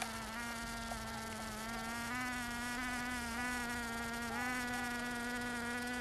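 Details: Bees filmed in Finistère, Brittany, in the far west of France, doing more than just foraging; a continuous, steady, rich droning buzz with a slight wavering in pitch and no pauses throughout.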